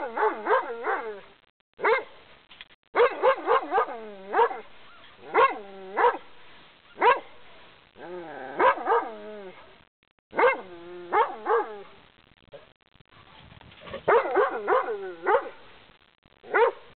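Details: Fierce dog barking through a fence at a walker passing on a quiet path; a steady run of loud, ringing barks, singly and in quick clusters, with short pauses and a few whining notes.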